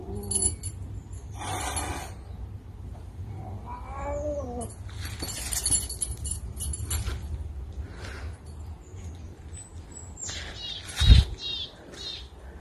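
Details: Caracal named Floppa Adolf, wanting to be friends: a brief wavering, harmonic meow-like cry rises and falls near the middle, amid high bird chirps, clicks and steady low background rumble.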